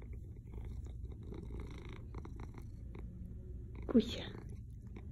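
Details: Deep, steady rumbling purr from a pet tomcat being spoken to in Russian, the droning throb constant under quiet talk, with a short sharp sound about four seconds in.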